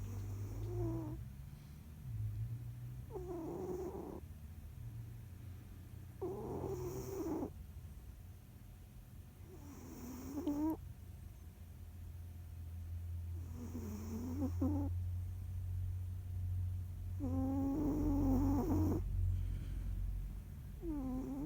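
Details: Jiji, a pet cat, snoring in its sleep while kneading: wavering, tonal snores about a second long, repeated every three to four seconds over a steady low rumble.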